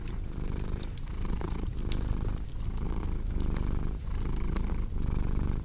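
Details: Deep rumbling purr of a house cat, pulsing in slow breath cycles about once per second, with crackling fireplace pops scattered over the top.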